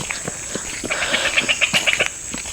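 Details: Frogs near Khasia houses in a hill village in the Bangladesh border area: a frog gives a quick run of bright, clicking notes over a steady high insect hiss.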